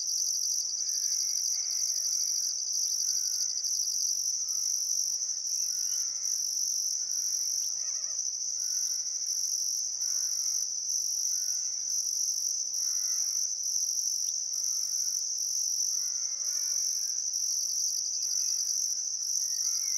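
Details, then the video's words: Crickets chirping on a still summer afternoon at sunset beside the Barcoo River, Welford National Park, Outback Queensland, Australia: a steady shrill band with a higher pulsed trill beating about twice a second, under faint scattered bird calls. "Australian Sunset Chirping Crickets"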